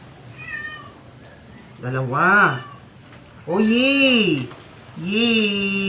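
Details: Dying stray cat, weak and struggling, force-fed indoors: a soft faint call, then three loud drawn-out meows, the second long and arching, the last held nearly level and trailing off, in a quiet small room.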